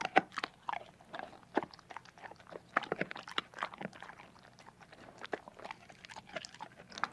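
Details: Dog eating food indoors in a small room: irregular crunching bites and chewing clicks, separate sharp cracks spaced every fraction of a second, quieter gaps in between.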